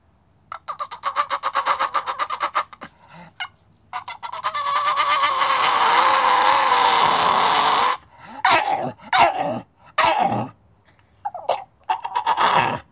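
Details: Staffordshire Bull Terrier making its talking sounds indoors in a small room: a burst of short yips, then a long sustained whining, warbling groan, followed by broken grumbling yelps and pauses.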